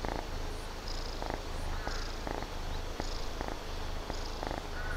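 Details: Purring of a sleepy kitten that still wants to play, with its fellow cats worn out by rain, heat and humidity: a steady low rumble pulsing with each breath, rising and falling in soft waves about once a second.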